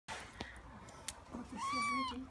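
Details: Tiny hungry kitten, a rescued stray found in South Los Angeles, being bottle-fed indoors; after a few soft handling clicks comes one clear, high, arched meow that rises then falls, followed by a person speaking.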